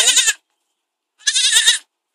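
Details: Two harsh, wavering bleats from a baby goat, each under half a second, separated by about a second of silence.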